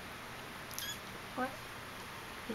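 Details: Playing Persian kitten Intrepid, three and a half weeks old, recorded 07.08.11, gives a brief thin squeak, then a single short harmonic mew, with a woman talking softly and a faint constant hum behind.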